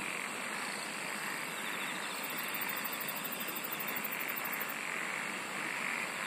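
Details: A chorus of singing insects forms a dense, even hiss layered with sustained high whines, while a rapid, evenly pulsed trill rises high above for a couple of seconds before fading; the loudness flickers gently throughout.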